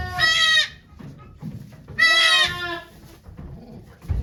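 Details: Goat at Yoshigake Farm on 3 May 2023, during Golden Week, while the doe Okayu gives birth to two kids with many volunteers watching; two loud, harmonic, wavering bleats, the second longer, with quiet rustling between them.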